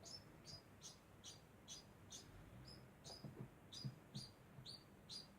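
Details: Short shrill chirps from a degu repeat steadily about twice a second, joined midway by a few fainter, lower squeaks.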